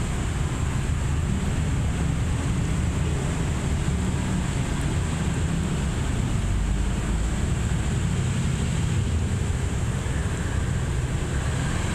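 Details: A continuous low rumble, like a boat engine or heavy wind, fills the recording along with a thin high hiss. No animal calls can be picked out.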